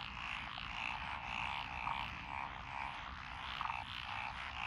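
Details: Frogs in lotus rice paddies near a country lane, Echizen City, Fukui, Japan, June 12 2021; several species including Japanese tree frog and Schlegel's green tree frog. Steady croaking chorus with brighter pulsed bursts standing out above it.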